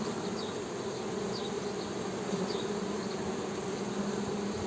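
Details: A low steady honey bee drone under a hissy, noisier background, with faint descending bird chirps repeating high above.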